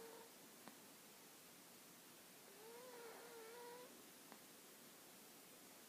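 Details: Hana, a dog, snoring with a brief whistle at the start, then a longer, wobbling whistled tone mid-way, against steady background hiss and a couple of small knocks.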